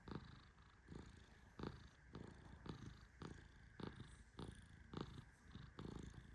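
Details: Tehran, a fluffy male Persian cat, in deep sleep under gentle petting: low, breathy rumbling pulses repeating about every half second to second, each paired with a faint sharp tick.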